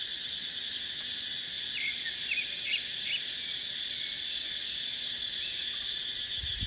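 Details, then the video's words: Cicadas singing in a dry dipterocarp forest in the dry season: a dense, shrill, high-pitched drone that pulses steadily without pause, with a few short chirping bird notes over it. "เสียงจั๊กจั่น สายลม ในป่าเต็งรังยามหน้าแล้ง"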